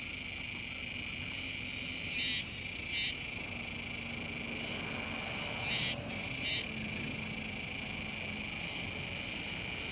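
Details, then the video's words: Kuroiwa's cicadas shrill in a dense, continuous chorus with brief breaks every few seconds, near the Kōme River mouth, Nishinoomote, Tanegashima, Japan, 7 September 2022. "クロイワツクツクの鳴き声風景・自然音収録！ AIボイスナレーション付き～種子島の自然"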